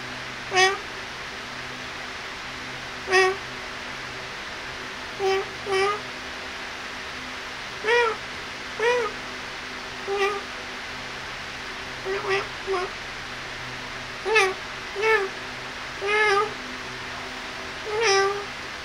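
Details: Kittens playing and feeding, giving short high mews at irregular intervals, about a dozen across the stretch, each a brief bright harmonic note, over a steady low background hum indoors.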